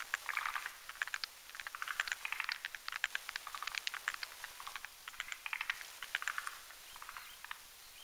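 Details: A nighttime group of forest green tree frogs, both sexes, whipping foam with their legs as they croak on a spindletree branch over a mountain pond; busy stream of rattling, pulsed croaks and clicks with almost no gaps.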